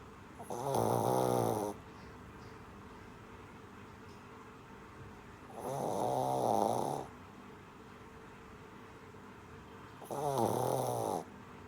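A Shih Tzu puppy snores in slow, rasping breaths, each lasting about a second.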